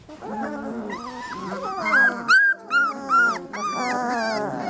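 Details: Three-week-old Lab puppies whining together: wavering whimpers, then a run of four loud, clear, arching squeals around the middle, followed by more overlapping cries.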